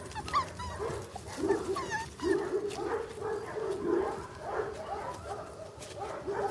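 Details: English Cocker Spaniel puppies born in August 2011 at a breeding kennel; high whimpers and yips repeat in short bursts over a steady background murmur of several young dogs.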